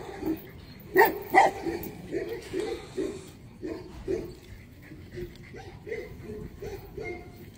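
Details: Tibetan Mastiff barking, a series of deep, rough barks in irregular bursts, loudest around the first and second seconds, then softer repeated woofs; some speech in the background.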